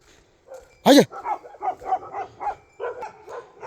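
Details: A single abrupt, powerful bark from a Bhote Kukur, the Himalayan sheepdog of Nepal, is followed by a run of softer voiced syllables from a man calling the dog by name.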